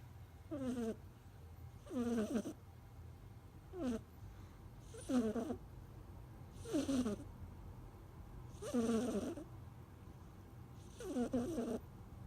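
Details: Kitten snoring: rhythmic, buzzy breaths with a rough, rattling quality, seven bursts roughly every one and a half to two seconds, separated by quiet pauses over a steady low hum.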